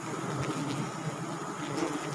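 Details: Wild forest bees at a Sialang tree nest in South Sumatra, disturbed during a honey harvest: a dense, steady droning buzz fills the whole stretch, a low throbbing hum with faint high insect whine behind it.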